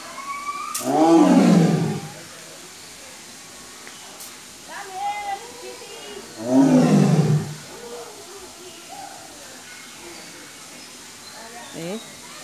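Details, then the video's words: White tiger at Safari World, Thailand, letting out two loud, rasping roars about five seconds apart, each falling in pitch, with people talking softly in between. "safari വേൾഡ് ലേ വെള്ള കടുവ"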